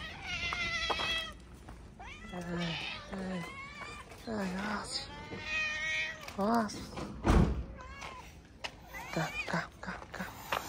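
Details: Stray street cats in Morocco, happy to greet the person who feeds them, give a string of short meows and drawn-out wavering cries, mixed with a man speaking and a loud thump.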